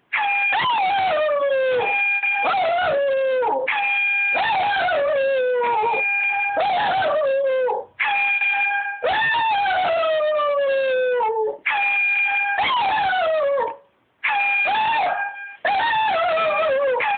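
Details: Pet dog howling along to an air horn app: long wavering howls that slide downward, repeated over and over between blasts of a steady, harmonic-rich horn tone, with brief gaps in the sound.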